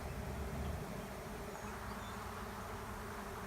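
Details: Swarming honey bees settling into an empty hive beside a driveway; thick, even buzzing drone with a rough low rumble, slightly louder in the first second, then holding steady.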